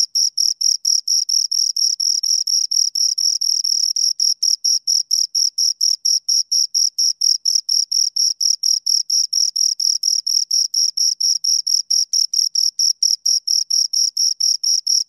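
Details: Pair of crickets producing an unbroken train of shrill, high chirps, each short pulse following the last at a brisk regular rhythm with nothing else audible.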